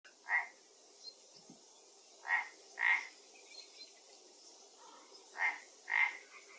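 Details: Frog at a pond in Galicia, Spain, after an Asian hornet fell into the water; short harsh croaks in pairs and singles, spaced about two seconds apart, over a quiet ambient background.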